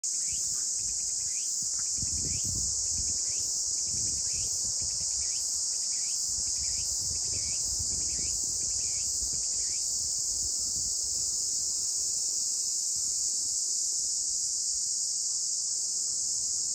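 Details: A Walker's cicada on Iwo Jima, its first song of the season on 1 July 2022 at 17:39, differing from mainland calls, sings a quick series of repeated buzzy chirps over a steady high insect hiss.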